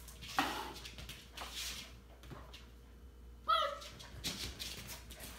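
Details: Samoyed puppy playing by itself, letting out one short, high, squeaky whine with bright stacked overtones about midway, set among soft thumps, scuffs and rustling from its play.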